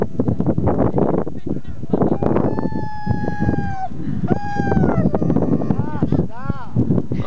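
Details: A Siberian husky, filmed on a skiing trip, howls in long, wavering, mid-pitched tones, pining as its people are about to leave.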